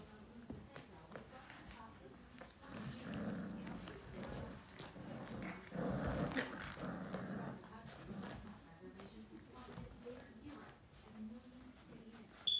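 Rottweiler puppies growl and snarl at each other in rough, rapid bursts during play fighting.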